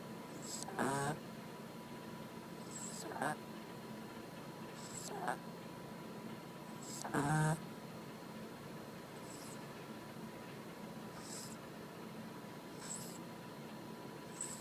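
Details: Chacha, a female pet dog, snoring loudly while asleep indoors: short nasal snore bursts roughly every two seconds, the strongest near the middle, some carrying faint whistling tones, over a steady low room hum.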